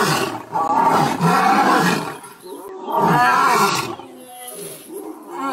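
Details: Male lion roaring, from a scene of males pushing their two-year-old sons away; two long, loud moaning roars, each about two seconds, separated by a brief dip, with a fainter grunt trailing at the end.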